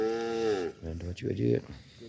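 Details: A tame calf gives a loud, drawn-out moo with a steady tone that falls away after under a second, followed by broken voiced sounds mixed with people talking nearby.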